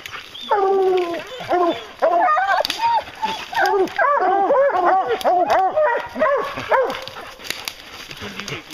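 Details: Pack of hounds baying during a bear hunt, a dense run of arching, harmonic yelps tumbling over one another almost continuously, several dogs calling at once with loud, close voices.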